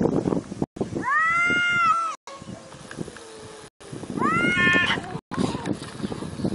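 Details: Domestic cat giving two drawn-out meows, each a harmonic-rich wail that rises briefly then slides downward, with a pause between them. Rustling and low background noise run underneath.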